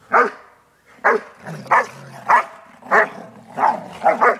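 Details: Two Airedale terriers playing while on vacation, giving loud, sharp barks repeated roughly every half second to second, about eight barks with low growly sounds between.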